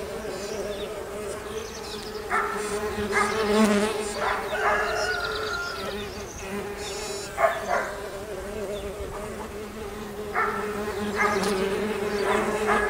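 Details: Springtime bees emerging from their cells: a continuous low buzzing drone throughout, overlaid by scattered brief higher chirps and clicks in the background.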